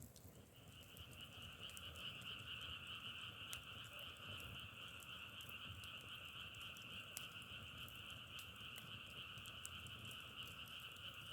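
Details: Dense frog chorus likened to burning firewood: a continuous, slightly pulsing high trill over a lower hum, fading in during the first half-second, with sharp crackle-like clicks dotted throughout.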